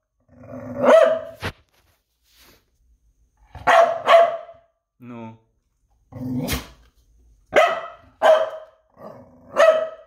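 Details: Barking from Noodles the dog: loud, harsh yaps coming singly and in twos, separated by pauses, with one short human vocal sound heard in a gap between barks.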